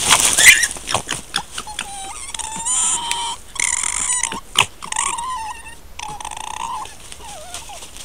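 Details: Two red foxes interact near their dens in countryside at Corte Franca, recorded by camera trap; one gives a run of high, whining yelps, each under a second, with some wavering in pitch.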